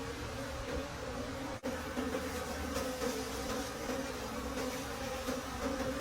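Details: Wild bees at a late-season honey harvest deep in a forest: a steady, low droning hum with a fainter higher overtone holds unbroken for six seconds, over soft background hiss, with one brief dropout near the middle.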